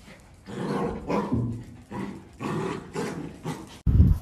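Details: Playful miniature dachshund giving a run of short, low, rough barks and growly bursts, about six in four seconds, broken by brief pauses, then a sudden loud thump at the end.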